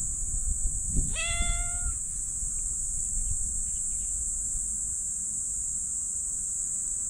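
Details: Black stray cat meowing when its lower back is patted: one drawn-out, slightly rising meow with a clear stack of harmonics, under a steady high insect drone and low rustling.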